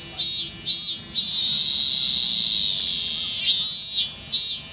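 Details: A robust cicada (minmin-zemi) still singing late in the season on 25 August 2010 in Kanagawa, Japan, gives a loud, high buzzing song, pulsing in bursts, then holding a long steady drone.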